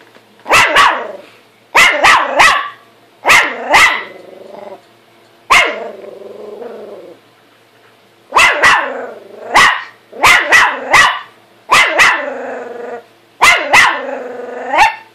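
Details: Pet dog Buddy confronting his mirror image, giving quick double and triple barks in bursts roughly every one to two seconds, some trailing into short growly whines.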